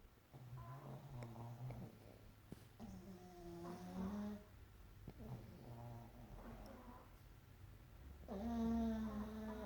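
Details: Sleeping pug snoring alongside a Chihuahua, also asleep: a run of rough, buzzy snores with a nasal, wheezy ring, some drawn-out and rattling, growing louder and harsher toward the end.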